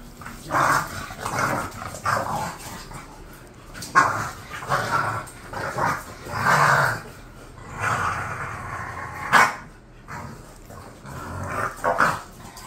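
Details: Pair of bulldogs, described as bored, trading repeated throaty growling grumbles and gruff barks, about one every second or two, irregular in rhythm.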